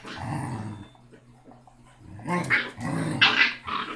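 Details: Six-week-old Basset Hound puppy, the smallest yet loudest of its litter, growls low and rumbling at first, then after a pause bursts into a run of shrill, high yaps; steady electrical hum underneath.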